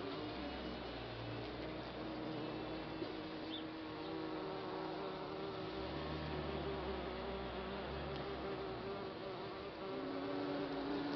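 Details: Bee colony that has lived in a compost bin for a few months, giving a dense, continuous buzzing hum of many bees that stays steady from start to end.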